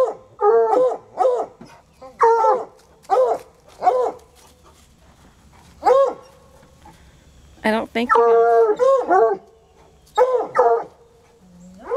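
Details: Two untrained coonhounds baying at a raccoon under a car: repeated short arched howls and yelps in quick bursts, several overlapping, with a person's voice briefly heard among them.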